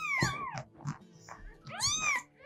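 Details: Cat; meow; asking people for food, attention, warmth or an open door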